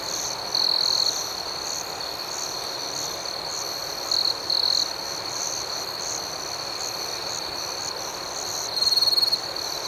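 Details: Outdoor night chorus of crickets giving a constant high buzzy trill and quick repeated chirps, with several brief louder shrill bursts scattered through, including one near the end.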